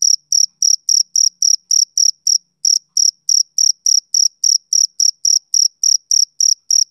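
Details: Male cricket on a summer evening: rapid, shrill chirps repeat about three to four times per second, with one short pause near the middle before the steady pulsing carries on. The background is silent.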